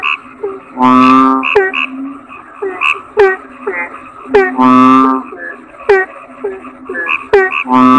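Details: Toads calling together in a dense chorus. Loud, buzzy, drawn-out croaks rich in harmonics come at about one, five and eight seconds. Short twangy chirps from other callers fill the gaps, and a few sharp clicks are heard.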